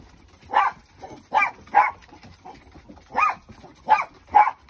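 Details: Husky puppy Kenai at play with a chasing shih tzu, urged to hop up on the bed; six sharp, mid-pitched barks come in uneven bursts over nearly five seconds, with quiet gaps between.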